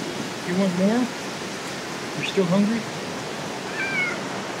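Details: Hungry stray cats meowing during a monsoon-like downpour in BGC, Manila, while being fed; two short low rising meows about two seconds apart and a thinner higher cry, over steady rain hiss.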